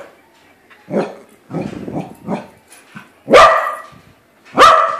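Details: Corgi meeting a balloon version of itself: three quiet throaty grumbles, then two loud, sharp barks a little over a second apart.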